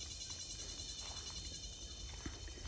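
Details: Cicadas beside a rice field in Mindanao, Philippines, in hot sun after a drought fill the air with a steady, shrill, high buzzing drone, produced by the abdomen, made by emerged adults to attract mates.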